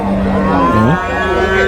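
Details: Young water buffalo calves for rearing, at the Cholakkal market in Payyanad, Manjeri, Kerala: a low, moaning call holds a steady pitch, then dips and swings back up in a short glide, over market chatter and a low vehicle hum.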